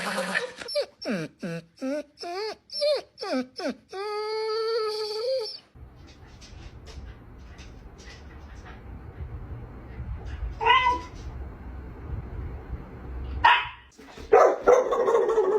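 A dog gives a run of yowling, whining notes that bend up and down, ending in a long drawn-out wail.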